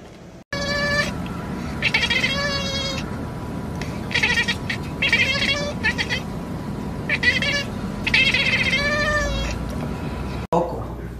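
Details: Domestic cats in a compilation of dramatic moments: repeated loud, harmonic meows and wavering yowls in bursts about every second or two, some rising and falling, with a steady electrical hum and background noise.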